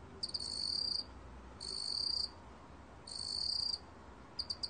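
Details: Meok-gwitturami cricket recorded by Korea's National Institute of Biological Resources, 2020: high, shrill trilled chirps, each lasting about half a second to a second and repeated at roughly 1.5-second intervals, ending with a few short clicks over a quiet background hiss.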